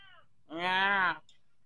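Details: Orange Persian cat in a village gives a single drawn-out meow, under a second long, steady and slightly falling, preceded by a faint, brief earlier call; quiet indoor background.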